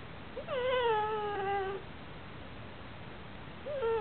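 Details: A Basenji-Chihuahua mix gives a drawn-out, tonal whining cry that rises briefly, then slowly sags, crying while given commands (lie down, smile, speak) when he needs to go out.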